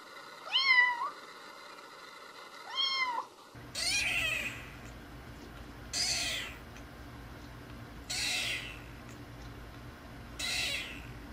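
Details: Kittens learning to meow: two short rising-falling squeaky mews early on, then a different scene with repeated soft breathy bursts about every two seconds and steady background hum.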